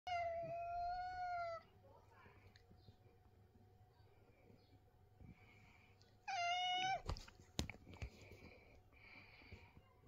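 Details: Angry cat indoors giving two drawn-out, level meows with strong harmonics, the first about 1.5 seconds long and a second shorter one after a pause, followed by faint scattered sounds and clicks.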